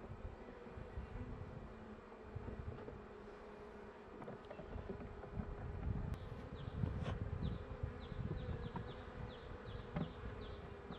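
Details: Honey bee colony inside a beekeeper's hive close to spring, with frames being handled; a rumbling low hum that swells midway, punctuated by clicks and faint high flickering wingbeats of passing bees.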